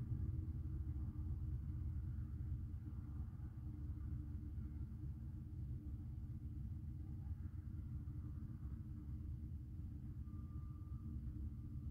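A steady low engine rumble, like a passing or idling vehicle, fills the recording with no animal sound.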